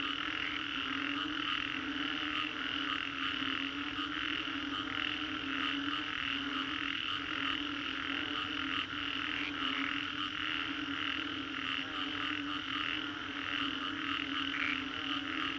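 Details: After a storm in the Green Corridor, Singapore, a mass of frogs keeps up a continuous chorus of rhythmic, grating croaks, pulsing in regular beats roughly every half second, layered over a deeper sustained drone throughout.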